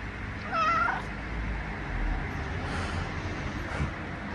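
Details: Mishu, a one-year-old male pet cat, grows vocal and unhappy when his owner rolls away during a daily cuddle session; a single short, rising harmonic meow comes early, followed by soft rustling and low room noise.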